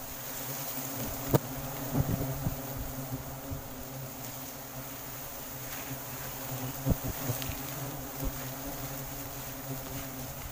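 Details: Sumatran forest honey harvest from a colony of wild giant honey bees: an even, low droning buzz throughout, broken by occasional thumps and handling noises, with a faint high insect chorus behind.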